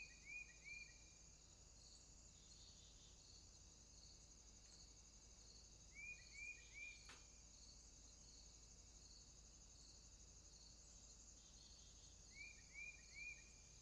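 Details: Crickets at night in a swamp keep up a high, steady pulsing chorus while groups of three short rising chirps from another caller break in three times, with a single sharp click midway.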